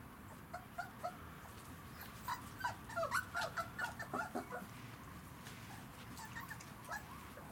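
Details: Litter of Kicsi x Yeltsin puppies, three weeks five days old, first day in the puppy kennel; a cluster of soft overlapping whines and squeaks swells in the middle, quieter before and after, with a steady background hiss.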